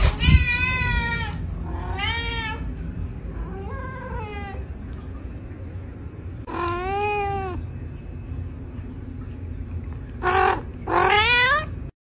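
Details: Pet cats in a funny compilation give a run of clear, tonal meows, some long and wavering, others short and bent, roughly one every second or two, with low background rumble and a little speech.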